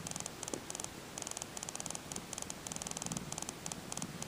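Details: Two-day-old Tonkinese kitten from Tango's litter purring, heard as a faint, strange ticking: rapid bursts of dry, clicking ticks come in quick runs, with soft low purr pulses underneath in a quiet room.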